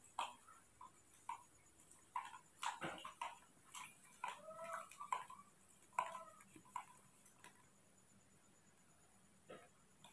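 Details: Newborn baby monkey at night, thin and being hand-cared for while milk is prepared, thirsty and wanting to drink: short squeaky chirps with bright overtones, repeated about once a second in uneven bursts, then falling quiet. Indoor room, faint handling noise.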